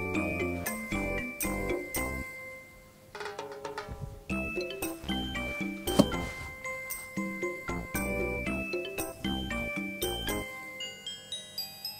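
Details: Bright tinkling mallet-percussion music with glockenspiel-like chimes and rhythmic beats fills the whole stretch, without any animal voice.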